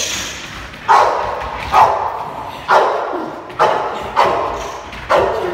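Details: Boxer named Reggi, six months old, during protection training: six sharp, loud barks spaced roughly a second apart, each with a quick onset and short fading tail, over a faint background hiss.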